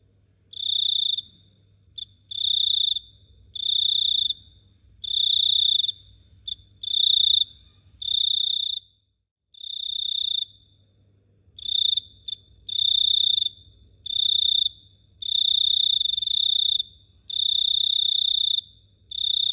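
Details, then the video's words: Cricket chirping after dark at Phteah Prey: high, buzzing trills that come in steady bursts of around a second, broken by short pauses and one longer gap midway, over a soft low hum. "The Sound of Cricket Chirping is amazing"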